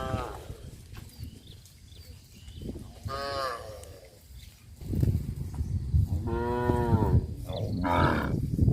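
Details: Cows from a herd moving through a rice field on a traditional village farm give short, nasal moos at irregular intervals, partly covered by steady low rumbling noise and footfall-like thuds.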